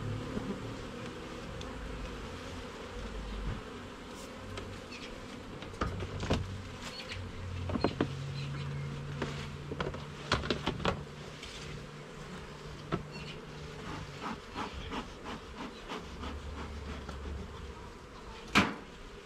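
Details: Garden beehive opened for inspection, frames and levels checked: continuous buzzing drone of honey bees beneath frequent sharp clicks and knocks from handling the hive, with a brief low rumble midway.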